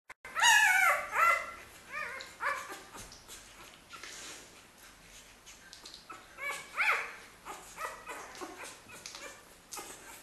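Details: Xoloitzcuintli puppies from a first litter in Switzerland, indoors in a small room; high, wavering whines and yelps in quick irregular bursts, loudest in the first second and again near seven seconds, with soft rustling between.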